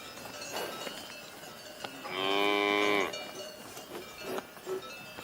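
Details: A cow gives a single loud moo lasting about a second, a rich harmonic drone that holds steady and then drops slightly at the end, with faint clinks and knocks before and after.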